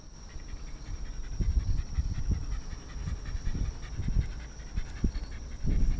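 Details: Shiba Inu named Narihira, a pet dog visited at home by a pet sitter in Yaizu, Shizuoka, Japan, on 26 August 2018, panting in quick soft breathy pulses over a low indoor rumble and a steady faint high whine.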